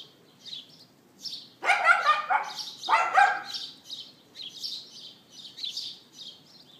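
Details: A neighbour's dog barking on April 18, 2012, 11:31 AM, recorded with an iPhone 4S: two bursts of rapid, harsh yaps over steady high chirping from birds that continues throughout.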